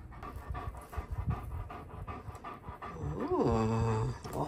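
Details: Tonka, a pet Alaskan Malamute, impatient indoors while breakfast is cooked. Steady panting gives way to a loud, descending, harmonic whine near the end, with a person talking.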